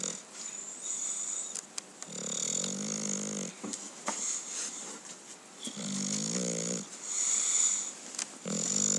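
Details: A sleeping English Bulldog gives two drawn-out, raspy, wheezing snores, each lasting over a second and about four seconds apart. Faint clicks and a constant high-pitched background hiss surround them.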